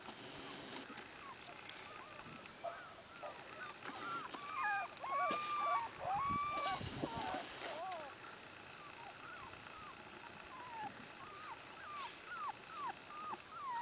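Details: Miniature Australian Shepherd puppies from one litter whimpering together: brief rising squeals and whines repeated about twice a second, with a louder cluster of cries in the middle and faint rustling.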